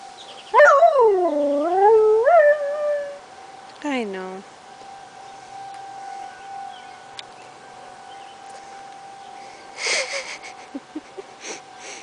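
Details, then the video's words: Lazarus, a household dog, howling in response to monthly tornado sirens on July 1, 2009: two wavering, rising-and-falling howls early on, a siren tone humming beneath, then quieter indoor sounds and brief noises. "Lazarus howling at the sirens"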